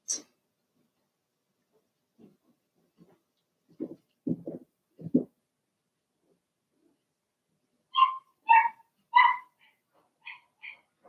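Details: Blenheim Cavalier King Charles Spaniel puppies from a litter of six in a home puppy pen make soft low whimpers and grunts, then a run of sharper high yips spaced about half a second apart, with quiet gaps between.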